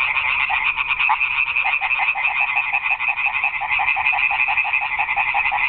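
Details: Garden pond at night, where a crowd of frogs keeps up a rapid, rhythmic rattling chorus of overlapping croaks, roughly three per second, without a break.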